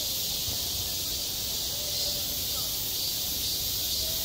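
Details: Cicadas singing on a school playground in midsummer: an unbroken, shrill, hissing drone that fills the high range without pause, with faint low murmurs beneath.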